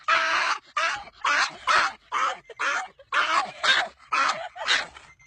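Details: Dog producing funny sounds: a series of about ten harsh, breathy bark-like bursts, each around half a second long, delivered in quick uneven pairs with short silent gaps.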